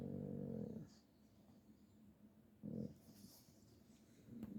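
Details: Pug at play giving three low, throaty growling bursts, the first lasting nearly a second and two shorter ones later, separated by quiet gaps with faint background hiss.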